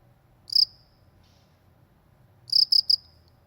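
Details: Cricket of the countryside with one lone chirp, a soft faint chirp after it, then a quick triple chirp two seconds later, against a calm low background hum.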